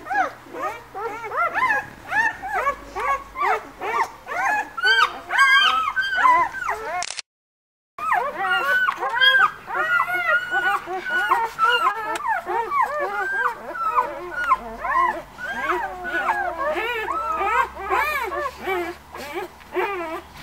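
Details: Litter of White Swiss Shepherd puppies at a breeding kennel, born 11 August, whining nonstop in dense overlapping squeaky arcs, with one sharp break of silence partway through, then the chorus resumes.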